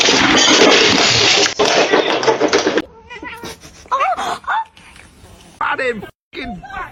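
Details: Kitten meowing amid playful household chaos: after a loud burst of screaming and noise, several short, curved, wavering meows follow in quick succession, some rising then falling, separated by brief gaps.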